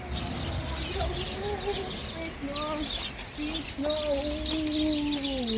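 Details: Alaskan Malamute getting ready for its first car ride of the year, vocally nudging: wavering, drawn-out howling tones that rise and fall, sliding down at the end, with a person's voice and background noise.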